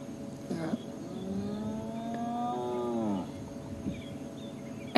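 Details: At sunrise on 17 January 2016 in Sabi Sand, a spotted hyena gives a low, drawn-out, cow-like contact moan that rises slightly, then fades; quiet to humans, other hyenas hear it a couple of kilometres away.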